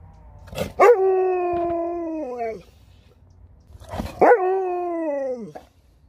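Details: Sherpa, a pet dog, is coaxed to try a fist bump and answers with two drawn-out howls. Each starts with a sharp rise, holds steady for over a second, then sags downward at the end. A quiet pause separates the two calls.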